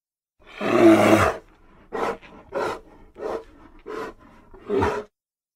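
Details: A grizzly bear gives one long rasping roar, then a run of six short, lower, breathy grunts, the last one sharper, all in quick succession.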